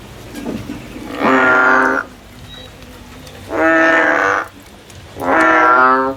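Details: Male frog singing in the field: three loud, nasal, harmonic-rich calls, each just under a second long, spaced about two seconds apart over a quiet background.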